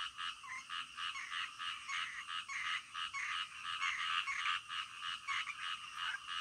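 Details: Frogs at night produce a thick wall of harsh, buzzing croaks, pulses tumbling irregularly at a fast pace, several callers overlapping and swelling louder toward the middle before easing slightly.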